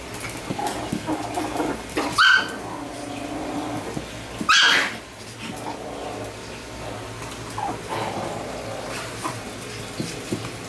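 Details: Pet Chihuahuas indoors; two sharp, high barks roughly two seconds apart, then quieter faint yips and household noise.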